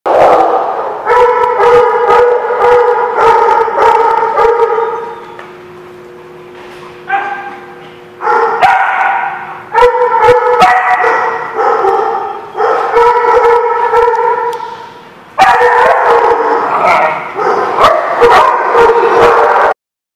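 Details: Dogs at a barking lot, recorded 5/23/16, several dogs barking in overlapping bursts with tonal harmonics, a short lull around seven seconds, then renewed loud barking until the end.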